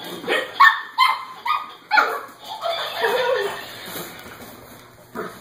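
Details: Playful Cavalier King Charles Spaniel puppies, five in the litter, tussling over a Laughing Dog toy; a few sharp pitched yips open the clip, followed by softer muffled grumbling and scrabbling.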